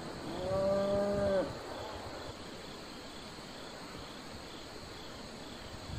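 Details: Farm cattle giving one steady, level moo of about one second that cuts off abruptly, then a long quiet stretch of rural background with faint crickets.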